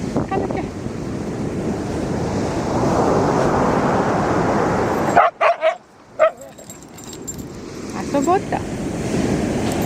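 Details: Shikoku dog on a walk along the seashore, giving a quick burst of short, sharp barks or yips around the middle and a brief pair near the end, over heavy surf and wind roar with human speech.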